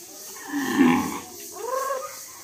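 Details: A bull named Kaliya from Narsingpur village in Bangladesh, 2022, gives a low, broad moo lasting under a second, with human speech continuing nearby afterward.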